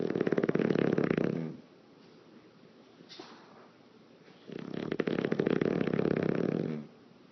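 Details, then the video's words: English Bulldog, a pet dog sleeping indoors, snoring with flapping lips: two loud rattling, fluttery snores about three seconds apart, each lasting over a second, with a faint breathy inhale between them. "English Bulldog Lip Flappying Snoring in the Wind"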